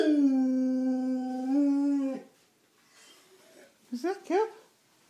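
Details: Pet dog howling at a ringing phone, one sustained level howl lasting about two seconds with a slight lift near the end, followed by quiet and a few short voiced sounds.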